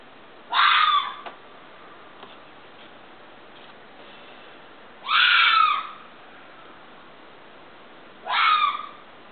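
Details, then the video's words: Screaming fox, three harsh, hoarse shrieks spaced about three to four seconds apart, each short and rasping with a sharp onset, over faint background hiss. "fox scream"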